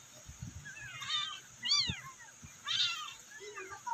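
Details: Rescued abandoned kittens meowing to call their mother; three high, thin, arched meows, each under half a second, spaced about a second apart, over low thumping noise and a steady high hiss.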